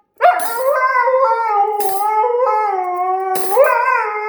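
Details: Pet Siberian Husky reacting to cutlery noises with a continuous wavering howl, slightly falling in pitch, punctuated by three sharp clinks of metal utensils.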